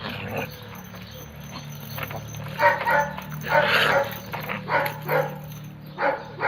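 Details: Red nose pit bull Oscar, brought together with the chocolate red nose Müdür for mating, gives a few short harmonic barks and yelps in the second half, over a steady low hum and some background voice.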